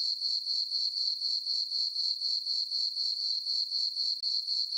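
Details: Crickets on a peaceful summer night in a meadow under a full moon, their piercing high chirping steady and pulsed at about four beats a second, uninterrupted and without other noises.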